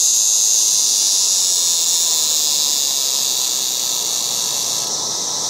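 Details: Yard cicadas in August give a loud, shrill, sizzling buzz, with one voice dropping out near the end and the drone softening.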